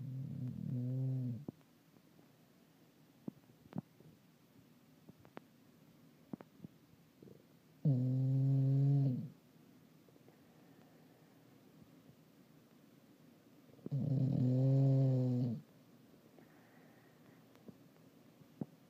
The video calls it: Hank the english bulldog snoring like a pufferfish